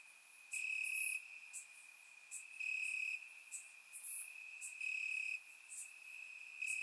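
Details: Crickets in grass on a warm Bulgarian summer night, recorded in surround sound: sustained shrill background trill with louder buzzy chirp bursts about every two seconds and occasional brief high clicks.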